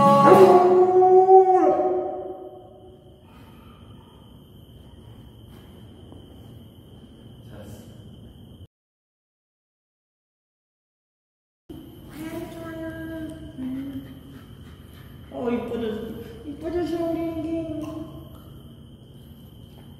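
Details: Female Alaskan Malamute at a dog cafe in Yangpyeong, Gyeonggi-do, South Korea, howling along to a Korean song for Liberation Day. A strong, falling, harmonic howl lasts about two seconds, then quiet, then wavering howls return with a steady high tone.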